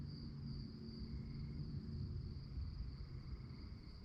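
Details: Night-time crickets chirping in a rapid, even high trill that holds the whole stretch, with a fainter second tone and a strong low background rumble.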